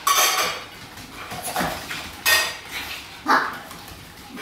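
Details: Pekingese dogs in a home at feeding time, waiting for their food: short sharp yaps in separate bursts, about four within a few seconds, mixed with clinking dishes and cutlery.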